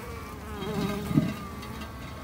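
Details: Japanese honey bees kept by a beginner garden beekeeper, a low steady hum of buzzing bees with a few louder passing wingbeat tones rising and falling.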